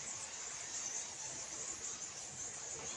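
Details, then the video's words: Many bats roosting unseen in darkness inside a large bat cave in the Kandali hills, Nagaon, Assam; a dense, continuous high-pitched squeaking chorus forms a steady shrill band with faint hiss beneath. "এয়া বাদুলিৰ মাত আৰু তেওঁলোকে অজস্ৰ বাদুলি আছে।"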